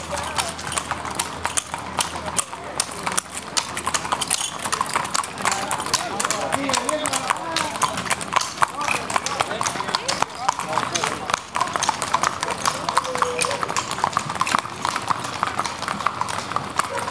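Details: Criollo horses parading at sunset along Avenida San Martín in Pampayasta on Saturday, 3 December 2016; steady, dense clip-clop of many hooves on the street under continuous Spanish speech and crowd noise.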